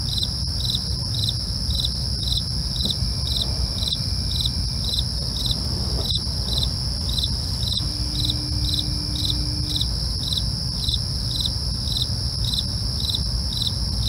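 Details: Crickets chirp through the night in an even, repeated pulse around twice per second, backed by a persistent high insect whine, faint clicks and a low rumble.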